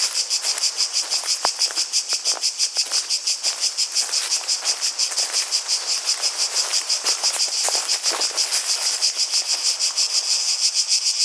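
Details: Cicadas, with water and footsteps, fill the air with a dense, high, pulsing buzz that throbs several times a second.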